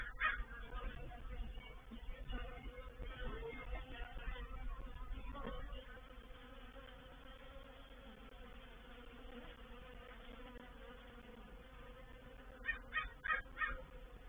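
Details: Honey bees of a reproductive swarm settle into a bait hive (swarm trap) at Painted Peacock Manor on 04/07/21. A continuous low droning buzz is heavier in the first six seconds, with a few crow caws near the end.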